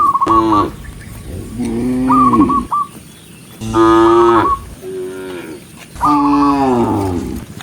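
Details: Herded tame cows on a forest road in farm country low three long, wavering moos spaced about two seconds apart, with brief trilled whistles at the starts of the calls.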